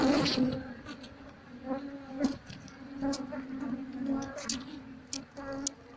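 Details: Honey bees in a room, being shifted to a cardboard box during a hunt for the queen: a steady hum with layered overtones, swelling and fading, dotted with sharp clicks and rustling.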